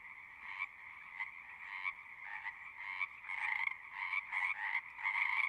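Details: Frogs singing in a pulsing chorus: a soft continuous trill punctuated by louder bursts arriving irregularly, roughly one to two per second, growing stronger and more crowded toward the end.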